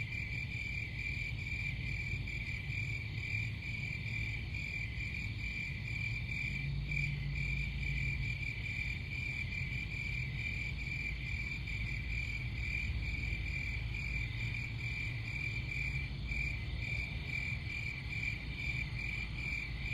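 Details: Many crickets trill together in a steady, high-pitched, finely pulsed drone with thin higher overtones. It continues unbroken over a soft, constant low background rumble.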